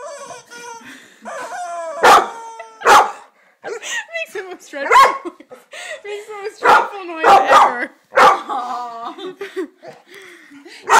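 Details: Beckhams, a pet dog, barking at a new toy chicken. A person talks throughout. Several loud, broad barks break through, roughly every second or two, mixed with squeaky, wavering tones from the toy.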